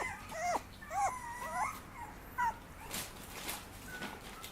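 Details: Papillon puppy giving thin, high whimpers: several quick rising-and-falling whines clustered in the first two and a half seconds, one briefer squeak after, then softer rustling thumps and a faint drawn-out whine at the end.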